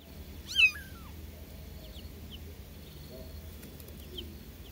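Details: Newborn kittens calling their mother: one loud, high, bending mew near the start, rising then falling, followed by a few faint, thin mews over a steady low hum.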